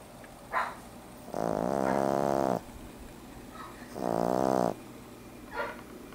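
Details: An 11-week-old male French Bulldog puppy snores while asleep, in long, rattling breaths each lasting over a second.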